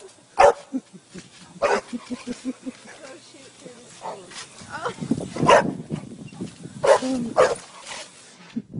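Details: A dog barks in scattered loud bursts while it plays on a trampoline, with quieter grumbling sounds and human chatter between the barks.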